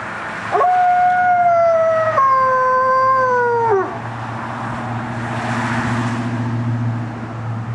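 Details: Alaskan Malamute howling in response to fire truck sirens, one long clear howl sliding up, holding level, stepping down in pitch and fading after about three seconds, followed by low rumbling traffic and engine noise.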